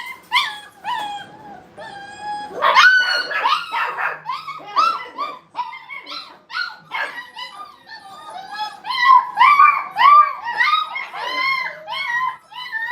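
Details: Playing Brittany puppies at a dog training kennel, a dense chorus of high yelps and whiny yips, about two a second, tumbling over one another and swelling louder after a quieter opening.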